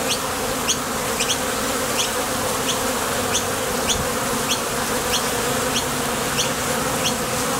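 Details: Honey bees departing and alighting at a top bar hive entrance on nectar-gathering trips; a constant low buzzing drone, overlaid by faint sharp high ticks repeating about once or twice a second.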